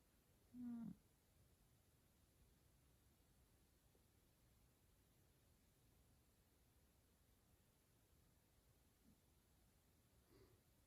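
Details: A sleepy male F2 Savannah cat being petted gives one short, low, throaty chirp, then falls quiet apart from faint soft sounds.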